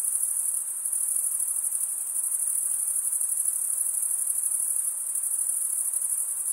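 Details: Steady high, thin cricket trill, a sustained shimmering buzz with gentle pulsations and a faint wash of noise underneath.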